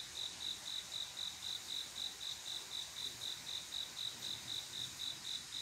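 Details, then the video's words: High, regular pulses from a male cricket courting a female on a quiet summer night, each chirp clear and repeated about four times a second, with a soft wash of insect noise behind. "조용한여름밤 귀뚜라미소리"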